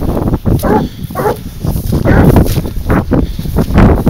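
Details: Hunting dog Garuo, 22 months old, baying on a leashed wild boar hunt; rough, irregular barks repeat over heavy low rumble and handling noise.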